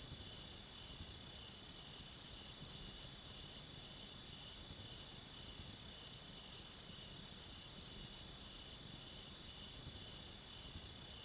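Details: Several crickets calling in the stillness of night, bright pulsed chirps repeating steadily over a sustained high whine and a faint low background rumble.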